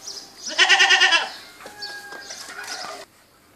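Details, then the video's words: Goat giving one loud, wavering bleat lasting about half a second, its tone pulsing rapidly, then fainter, softer bleating sounds after a short pause. "اصوات ماعز goat sounds"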